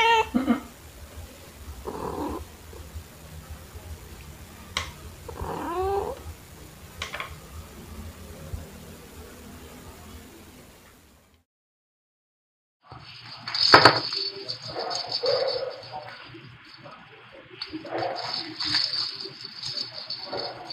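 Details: Pet cats Pepper (black) and Kofi (torby) play with fluffy toys, recorded in March 2021 on a phone with a shotgun microphone. Brief wavering meows sound near two and five seconds, then a short silence, followed by loud toy rattling and scuffling.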